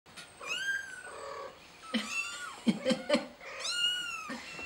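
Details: Kitten calling for help: high, drawn-out meows with rich harmonics, some rising then falling, with short choppy cries between them, heard indoors.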